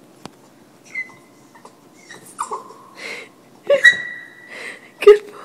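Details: Monkey, a pet Boston Terrier, sings on command indoors beside a microphone set up for band practice: short whining, wavering tones rising to a sustained high howl near the end, with a few brief voices of praise between.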